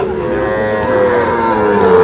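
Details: Sahiwal bull calf at Ambari cattle market, Parbatipur, Dinajpur, Bangladesh, on 11 May, gives one long, steady, harmonic-rich moo that holds an even pitch for two seconds, with faint market murmur behind it.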